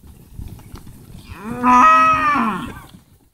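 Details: Steer among a herd of 60 in Vera, Santa Fe, averaging 220 to 230 kilos, gives one loud drawn-out moo, rising then holding level for about a second before dropping away, over faint trampling in the background.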